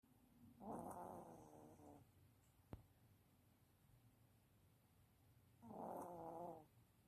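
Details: A Maltese dog snores as it sleeps. Two soft, buzzy, harmonic snores, each over a second long, come about five seconds apart, with a single sharp click between them in an otherwise quiet room.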